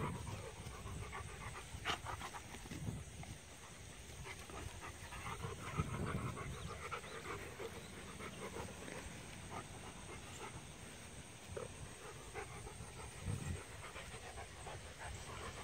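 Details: Rough play between two Rottweilers, a female puppy of 5.5 months and a male of 1.5 years; low throaty growls swell and fade in several bursts over heavy panting and shuffling movement.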